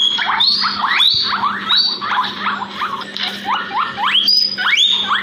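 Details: Backyard guinea pigs, a pair of pets, repeating bright rising squeals in quick succession, some overlapping, shrill and insistent, over a constant low hum.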